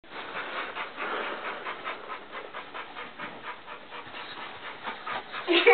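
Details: Blue Nose Pit Bull named Tantrum playing with children, breathing in quick rhythmic pants about every third of a second, with a child's voice rising at the end.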